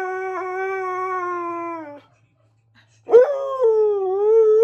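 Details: Siberian Husky Keyush singing along to Queen's Flash: a steady howl slowly sags in pitch and stops, then after a pause a sharp rising onset opens a new, wavering howl.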